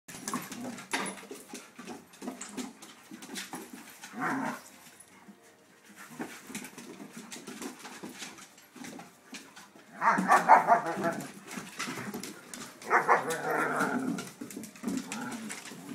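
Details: Several dogs, a schnauzer, a Ridgeback and shepherds, together: harsh, rasping vocal bursts come in short clusters, loudest around the middle and near the end, between quieter shuffling and scuffling noises.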